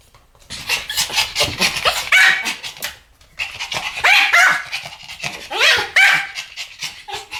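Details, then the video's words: Two Pomeranians barking together in a duet, a pet dog pair; bursts of sharp, high yapping barks in rapid overlapping clusters, pausing briefly near three seconds before the dogs resume. "ポメラニアン Pomeranian デュエット吠え 1000回 犬の鳴き声"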